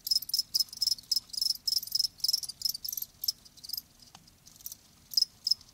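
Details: Live crickets chirping in short, high, bright pulses, several per second in uneven bursts, with a brief pause and a single click before the chirping resumes.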